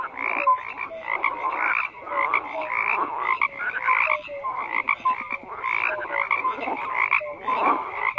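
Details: A dense chorus of frogs croaking together, with overlapping raspy pulses and short tonal notes, steady and unbroken throughout, no other sounds standing out.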